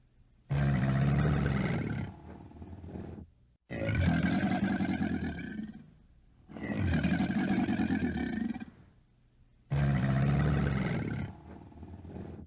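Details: Alligator bellowing four times in a row, each deep, throaty roar lasting one and a half to two seconds with short silences between, the rumble strongest at the low end.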